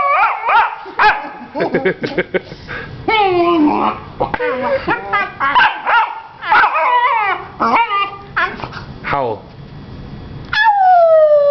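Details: Female Vizsla puppy answering back in a vocal exchange indoors: quick choppy whimpers and yowls, some sliding sharply upward, ending in one long falling whine; a person's speech occasionally between them.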